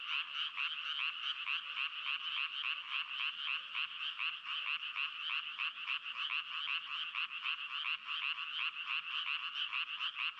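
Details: Frog croaking in a dense, unbroken run of rapid rasping pulses, several per second, bright and fairly high-pitched, holding steady throughout with no pauses and no other sounds behind it.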